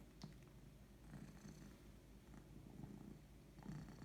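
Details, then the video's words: Purring of a female house cat at rest, a soft continuous low rumble with gentle rhythmic pulsing and faint clicks, growing slightly louder at the very end. "Cat just purring (and yawning)"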